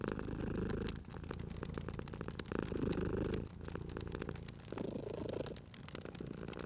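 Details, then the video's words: Cozy fireside purr from a sleeping cat: a throaty low drone rising and falling in breath-length waves, briefly dipping between cycles, while the fire crackles and pops steadily. "Cute Purring Cat at a Crackling Fireplace"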